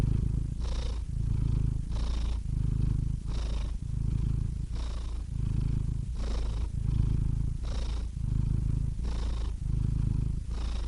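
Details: Purring house cat, a rhythmic deep rumble pulsing with each breath, in and out cycles around 1.4 seconds apart, intimate and uninterrupted.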